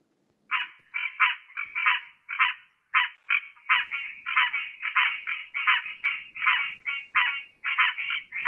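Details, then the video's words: Green tree frog, a species of areas with permanent water in spring and summer, giving its distinctive duck-like call: rapid nasal quacking notes repeated in a steady series, about one or two per second, with short gaps and a clean quiet background. "they also have quite a distinctive call they sound like ducks"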